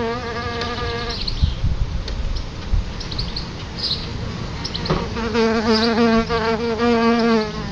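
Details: Solitary bees near their nest outside a house, a low buzzing hum that fades after the first second, leaves a quieter stretch, then returns louder and wavering as a bee passes close.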